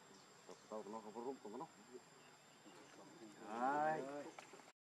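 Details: Baby macaque named Leo, hungry and begging its mother for milk, gives a burst of short wavering whimpers, then a longer, louder quavering cry that rises and falls before fading.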